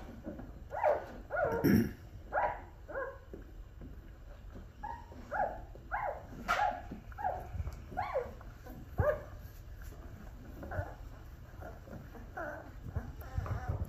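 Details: Black Labrador puppies from Hunny's winter 2023 litter in Colorado, USA, day 13 of their second week, eyes opening and learning to crawl. Many short squeaky whimpers and whines, some overlapping, come in bursts with quiet gaps between them.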